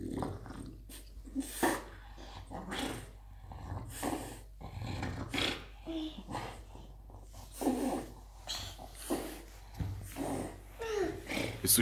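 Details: French Bulldog playing and play-fighting with a boy of almost three, growling in rough, low, raspy bursts with heavy breathing and snorts, mixed with the child's sounds and an adult speaking German.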